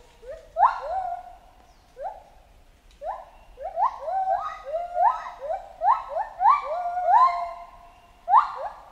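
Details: Chimpanzee calling in a jungle with a series of rising, harmonic hoot-screams that start low and sweep upward, coming in clustered bursts that grow denser and louder toward the end.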